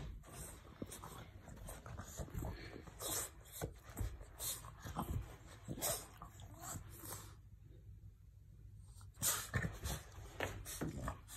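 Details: A French bulldog rolling around gives short whining grunts and snorts, pestering to play while a person answers.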